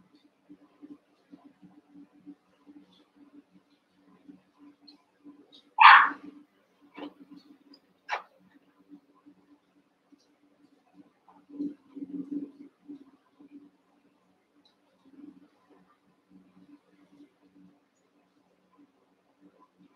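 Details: Eight Cavalier King Charles Spaniel puppies, one month old, wrestle and play together in an indoor pen. One sharp bark rings out, followed by two short yips, then soft grumbling whimpers, over quiet scuffling and a steady low hum.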